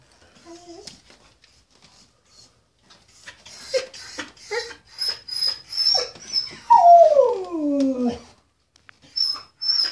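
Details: Pet dog howling for the first time, upset at being separated from his brother; short whimpers and yelps build into one long howl sliding down from high to low, with a faint steady high-pitched tone in the background.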